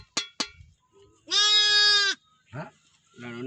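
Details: Newborn lambs, one day old, in a village: a loud, steady, high bleat of almost a second, with shorter wavering cries and brief clicks around it.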